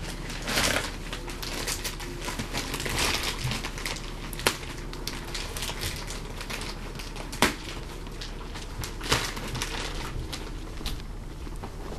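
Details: Dry hay crackling and crinkling steadily in a small indoor enclosure, with sharp rustling bursts and scattered clicks and no voices.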